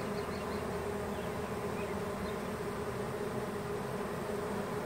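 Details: Honey bee swarm drifting from a small branch into a hive box where the queen has already been placed, making a dense, steady, even hum of many wings without pauses.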